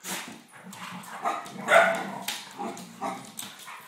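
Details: English Springer Spaniels play fighting: father Gunnar, mother Kala and puppy Diesel. Rough, rolling growls run under short yelping barks, with one loud bark near the middle and several quicker snarls after it.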